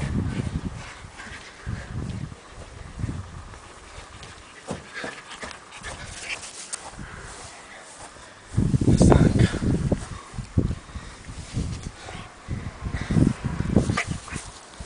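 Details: A Basenji in Bologna, Italy, gives short, low, throaty whimpers and yelps in irregular bursts, with a louder run near the end and people talking nearby.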